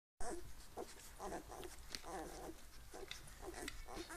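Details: Eleven-day-old Hungarian Vizsla puppies making soft, high whimpers and squeaks in short repeated bursts, a few every second, with a low steady hum underneath.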